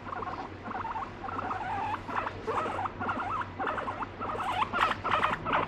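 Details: Indoor pet guinea pig that scolds, bites and urinates when petting stops; loud, rapid, repeated wavering squeaks, about three per second, rising in strength toward the end, without background music.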